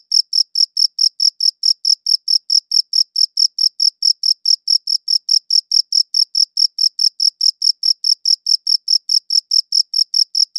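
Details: A cricket's shrill, metallic chirps, taken with a good audio recorder, follow each other in a fast, unbroken rhythm of roughly four per second, clean and isolated against silence.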